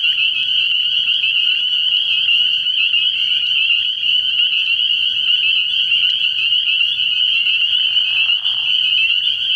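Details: Massed spring peepers calling from a frog pond on an early-year night: a continuous, high, whistle-like chorus of overlapping peeps with no quiet moments.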